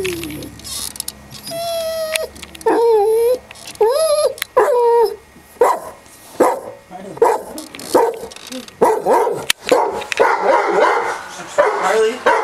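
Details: A dog visiting a house cat and trying to get it to play, giving short rising whines and yips in quick bursts, mixed with a person talking and clattering noise.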